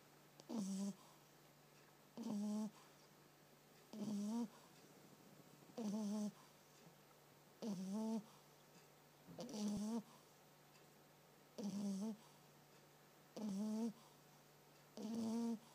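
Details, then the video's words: Sookie, a female French bulldog, snores while asleep during a quiet nap indoors: eight evenly spaced snores about every two seconds, each a short, buzzy, nasal tone with a hissy breathy edge, and near silence between breaths. "Sookie snoring"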